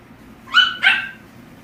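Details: French mix puppy offered for adoption gives two quick high yips in succession, the second slightly longer and falling away, over a low steady indoor hum.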